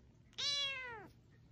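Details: Kitten giving a single drawn-out meow, bright and harmonic, holding steady then sliding downward at the end, in a quiet room.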